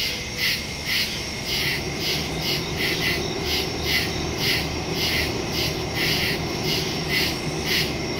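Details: Woodland crickets at night, recorded September 2, 2023 on a phone and stereo microphone; high pulsed chirps roughly twice a second from overlapping insects, with a low droning hum underneath.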